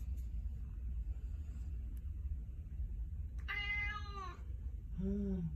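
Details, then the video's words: Persian cat vocalizing as though talking: a clear, bright meow lasting about a second, then a shorter, lower, falling meow. Low background hum throughout. "CUTE PERSIAN CAT: OMG! WHAT DO YOU WANT TO SAY?"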